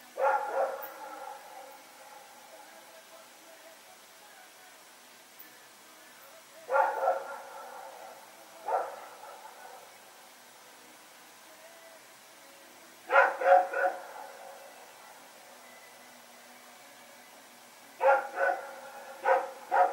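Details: Rex and his companion dog barking while running around at night in Pyrga, September 21, 2018: clusters of two or three quick barks every few seconds, some louder bursts, over a quiet nighttime background.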